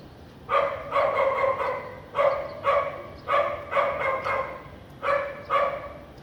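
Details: House dog in Vientiane, Laos, barking on a sunny afternoon with few clouds, 15 April 2021: about a dozen harsh, mid-pitched barks in quick clusters of two or three, separated by short pauses.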